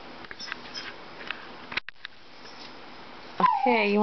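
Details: Dachshund Dixie, indoors while a Toyota chase commercial plays, whimpers after quiet murmuring, then breaks into a loud, sudden, wavering howl-like whine that slides slightly downward at the end.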